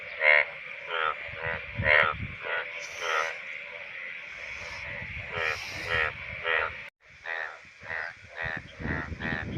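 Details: Indian bullfrogs, calling in the monsoon breeding season when males call from shallow water, give loud, rasping, pulsed croaks in quick succession, overlapping like a small chorus, with music in the background.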